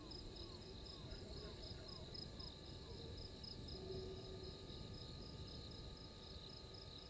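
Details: At a waterhole on Djuma Game Reserve in South Africa's Sabi Sand Wildtuin, insects keep up a fast, even pulsed trill. Sharp high chirps come in short bursts, and soft falling notes sound over a dense low background rumble.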